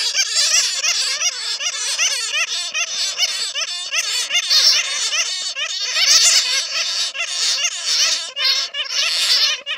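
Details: Netted bats whose real calls serve as a lure for others: a steady, crowded squabble of high, harsh squeaks and zigzagging chirps that overlap without pause throughout.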